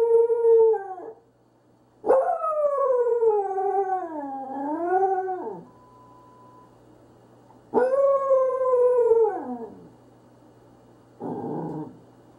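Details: Corgi howling in long, wavering tones: a short opening howl, then a drawn-out one of about three and a half seconds that dips and rises, then a falling howl, ending with a brief rough burst over a low steady hum.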